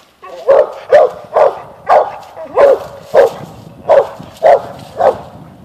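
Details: Eight-month-old Mountain Cur pup treeing, barking up at an animal on a limb: nine hoarse, evenly paced barks in under six seconds, outdoors.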